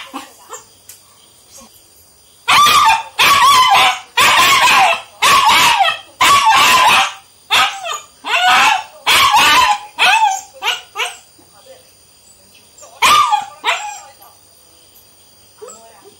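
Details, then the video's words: A 3-month-old Indian German Shepherd puppy gives a run of sharp, high-pitched barks in quick succession. "😍3month old German shepherd puppy barking video / sweety the gsd"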